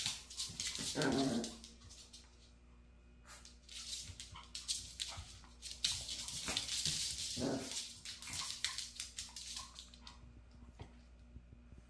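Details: Maltese dog persistently attacking its own tail, giving two short harmonic yelps about six seconds apart amid steady bursts of scuffling, rustling noise.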